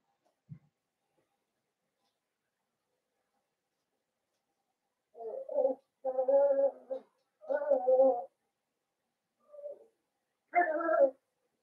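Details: Blenheim Cavalier King Charles Spaniel puppies from a litter of five born at New Year, indoors in a puppy pen; after a quiet start, a run of short harmonic whining yelps comes in bursts of about a second.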